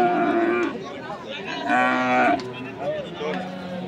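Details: Holstein Friesian bulls offered for sale at the Saturday cattle market in Kaharol, Dinajpur, on 9 March 2025; overlapping drawn-out lowing moos rise and fall among market hubbub and faint music.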